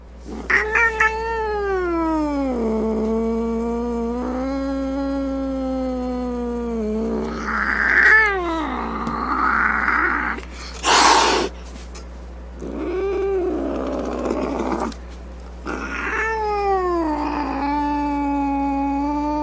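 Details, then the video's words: Angry domestic cat giving long, low, wavering moaning yowls that bend up and down in pitch, broken by a short breathy hiss burst midway and a few rougher snarling moments, with a steady low hum underneath. "Cat Angry Sounds | Cat Snarling, Cat Hissing, Cat Moaning | Angry Cat Sounds"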